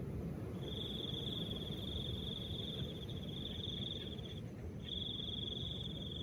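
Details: A cricket's continuous high trill, one long bout of nearly four seconds, then a short gap before it resumes, accompanied by gentle low wind noise.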